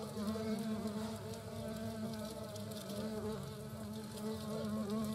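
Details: Loud, close wing hum of European hornets at the nest, queen and workers together, recorded in the Eifel; an unbroken, slightly fluctuating buzzing drone rich in overtones, staying strong throughout.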